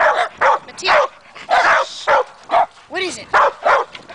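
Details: Two dogs, Matea and Morley, barking excitedly at a tree along a trail where chipmunks are thought to be hiding; loud, irregular bursts of barks and yips with a few whining notes.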